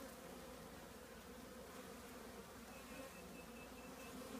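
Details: Honey bees swarming in and around an old trash can that holds their colony; a continuous drone of many bees fills the recording, with a faint higher whine of a passing bee near the end.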